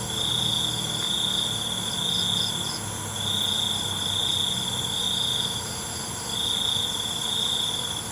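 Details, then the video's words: Crickets at night: a high, ringing trill comes in bursts of about one to two seconds with short pauses, over a fainter pulsing buzz just above it and a steady high hiss. "ALUNAN CENGKERIK MALAM"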